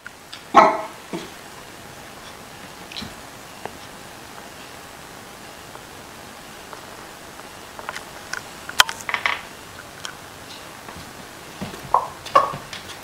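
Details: Corgi straining to reach a ball it cannot get to with its stumpy legs; a few short, sharp yelping barks near the start and again toward the end, separated by quiet stretches with scattered faint clicks and knocks.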